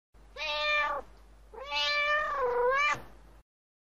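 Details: Cat meowing twice: a short, steady meow, then a longer one whose pitch dips and wavers before ending, both clear and tonal against a quiet background.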